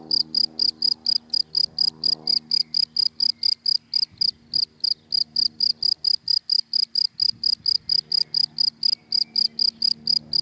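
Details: Daytime cricket in dry grass giving rapid, evenly spaced high chirps, roughly four each second without a break, over a soft low background hum and faint distant murmurs.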